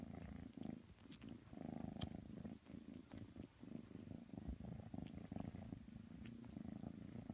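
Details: Matsumoto the kitten purrs against Tanka the pit bull, a deep pulsing purr swelling and easing with each breath, plus light rustling clicks.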